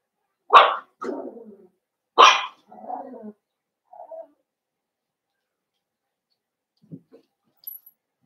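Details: Cavalier King Charles Spaniel puppy, blenheim coloured, one of five littermates born over New Year in the Red Barn Cavaliers pen. Two loud high barks, each trailing into a softer rasping grumble, then faint small squeaks.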